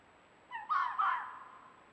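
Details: Amorous fox in mating season on a wooded mountain, first quarter of the year, calling its "wow wow wow" bark: a short burst of two or three raspy, joined barks lasting about a second, with little other sound around.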